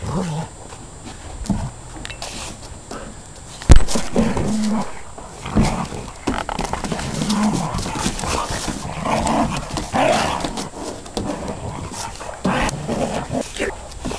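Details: Two dogs wrestling in play, an Akita and a border collie, lab and bull terrier cross, filmed on a digital still camera: low rumbling growls and huffs among scuffling noises and thumps, with one sharp knock.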